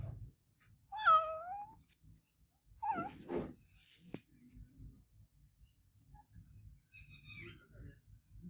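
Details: Adopted house cat Olevia calling out: two loud, bending meows close together, followed after a pause by a softer, higher meow. Faint low background rumble and a brief knock can be heard.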